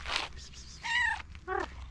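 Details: Calico cat meowing and trilling while approaching and asking for food: a short bright opening chirp, then a longer harmonic meow wavering across the middle, and a brief lower descending meow at the end.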